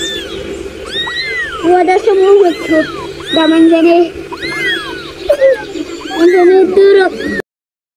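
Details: Kittens meowing in a rapid series of short arched mews, several overlapping, some paired with lower wavering cries, continuing for about seven seconds before falling silent.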